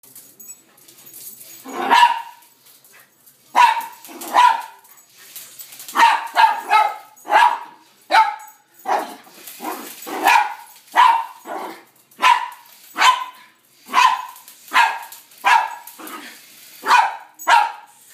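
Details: Poodle dressed like Katy Perry barking at a helicopter, trying to take it down; sharp, mid-pitched barks in irregular bursts, single and doubled, about every second with short pauses, the background otherwise quiet.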